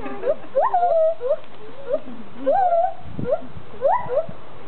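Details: Two captive gibbons at Magnetic Hill Zoo performing for a crowd: short rising hoots that bend upward and repeat in brief bursts with pauses between, some notes sliding into higher yelps.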